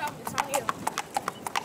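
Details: Bay Tennessee Walking Horse on an East Texas trail ride near Marshall, Texas, with a young rider: crisp hoof clip-clops in quick succession, roughly a dozen sharp knocks, with faint speech.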